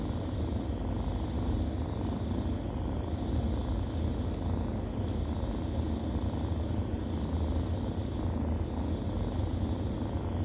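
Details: Kittens nursing from their mother, a stray cat, with a steady low rumbling purr running throughout without breaks, thick and continuous under a faint high background hiss.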